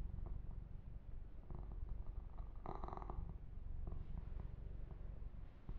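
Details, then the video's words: Kitten Yumak, a male pet cat, purring during a massage and fur grooming indoors; a steady low rumbling purr runs throughout, with a short burst of rustling, rubbing noise near the middle. "Kitten Massage - Perfect Sleep Helper Ear to Ear Purring"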